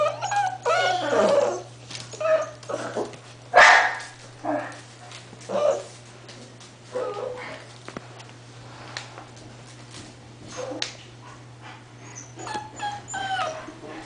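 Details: Several English Bull Terrier puppies, eight weeks old, whimper and yip in irregular bursts, with a louder cluster around the first four seconds, then scattered thin whines and quieter gaps, a constant low electrical hum underneath.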